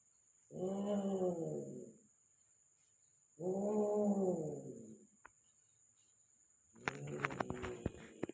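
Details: Persian cat in Gujranwala during mating, giving two long, drawn-out harmonic wails of about one and a half seconds each, wavering in pitch, then a third wail mixed with sharp clattering knocks.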